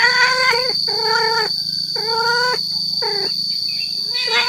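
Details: Male cat calling to attract females: several back-to-back yowls that bend downward at their ends, with short pauses between them. A persistent high electronic tone and a low hum sit underneath.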